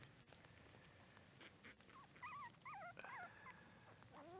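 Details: Red female Shiba Inu puppy, born 25 December 2011 and filmed 24 January 2012, gives a short run of high, wavering whimpers and squeaks in the second half over a low background rumble.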